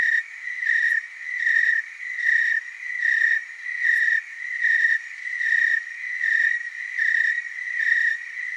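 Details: Chorus of tree crickets recorded in Oregon's Willamette Valley, a steady shrill trill pulsing in rhythmic swells about once per second, overlapping callers creating a wavering drone, with two brief clicks.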